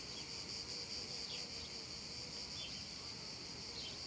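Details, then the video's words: Steady, piercing buzz of many cicadas singing together in a meadow during a hot summer afternoon, the chorus unwavering, with a few soft, quick chirps slipping in now and then. "un caldo pomeriggio d'estate e le cicale"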